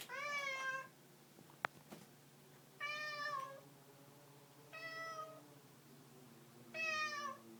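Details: A cat meows four times, each call about a second long, harmonic and slightly falling at the end, spaced roughly two seconds apart, with a sharp click between the first two.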